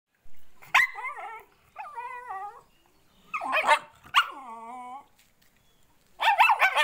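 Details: Indian Spitz puppy crying in high, wavering whines that rise and fall, several drawn-out cries with sharp yelping starts, separated by brief pauses.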